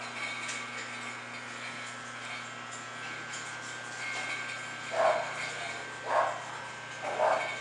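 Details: English Bulldog from a Florida kennel, where the dogs Salma, Thalia and Cristobal are named, giving three short, sharp barks about a second apart near the end, over a steady electrical hum and faint background rumble.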